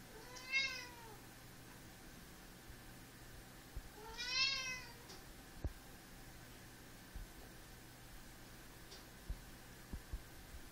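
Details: Pet cat meowing to wake its owner in the morning, indoors: two drawn-out, harmonic-rich meows about four seconds apart, each rising then falling, over a quiet room with faint low hum and a few soft clicks.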